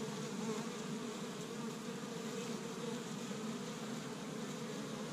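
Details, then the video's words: Many honey bees active around an established Michigan hive on a warm spring day, gathering pollen from tree buds; an even, rich humming buzz holding steady for the whole stretch. "See Busy Honey Bees Active in the Spring"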